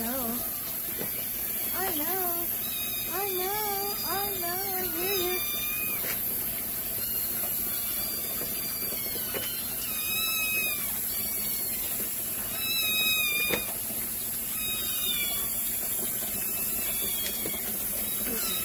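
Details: Hungry kittens crying indoors during their typical morning routine at milk time. A dense chorus of high, thin, overlapping meows continues throughout, with a woman's voice talking over the first few seconds and faint running water.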